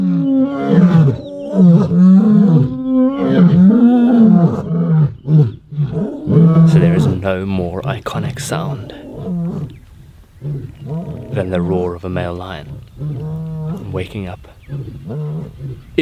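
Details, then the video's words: Male lions of the Ndzhenga coalition roaring after waking in the early morning, calling persistently for about an hour across dry bushveld as a display of dominance and strength; deep, repeated roaring phrases, with a man talking over them. "so there is no more iconic sound than the Roar of a male lion waking up"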